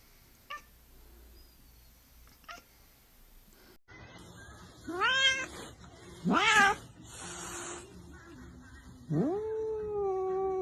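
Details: Pet cat in a quiet room after faint ticking sounds, then three separate meows about two seconds apart: two short, sharply rising cries followed by a longer, steadier, plaintive meow.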